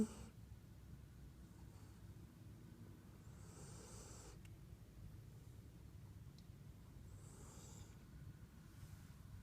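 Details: Sleeping Siberian Husky puppy with quiet, breathy snores roughly four seconds apart, each a soft hiss, against a constant low hum in a small room.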